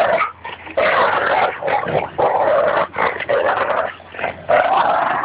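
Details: Labrador Retriever and Bouvier des Flandres playing tug-of-war at Fernandina Beach dog park, the Labrador growling a lot; continuous rough, throaty growls in surging bursts with brief gaps, steady and loud throughout.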